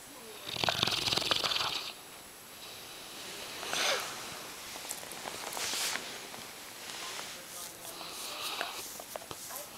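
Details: Sleeping yellow Lab Brady gives loud snores: a long raspy inhale, then several breathy hissing snores spaced a couple of seconds apart, with faint clicks and snuffles between them.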